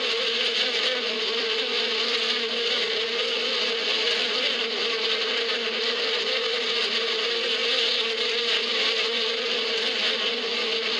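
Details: Swarm-like humming of bees in spring out in the desert steppe: a steady, even drone layered with rough high buzzing, continuous and level for the whole stretch.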